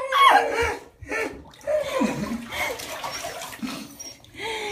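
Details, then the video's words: A Siberian Husky puppy in his third shower cries, screams and lets out bursts of wavering, talkative howls in protest throughout, over the splash of running water. "Husky hates shower, howls in protest"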